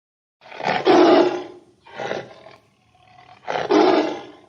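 A tiger gives three deep, rasping roars, each a rough, throaty burst about a second long.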